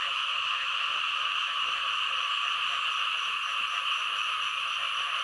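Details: In Thailand, a thick frog chorus of many animals calling at once, heard as a constant shrill, buzzing drone with fine rapid pulsing and no pauses throughout.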